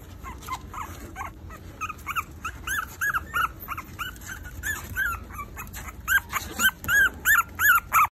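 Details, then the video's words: Maltese puppies, four weeks old, giving a near-continuous string of thin, arching squeals and whines, quickening and growing louder toward the end, with a faint low hum underneath. "Maltese puppies (4 weeks old)"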